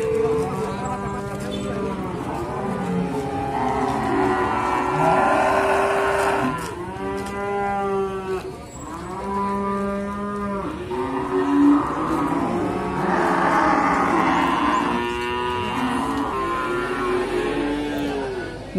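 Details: Young Simmental cattle calling at Sukorejo livestock market, Kendal: repeated arching moos, several overlapping, some rising and falling, from a crowd of animals amid busy market noise and occasional voices.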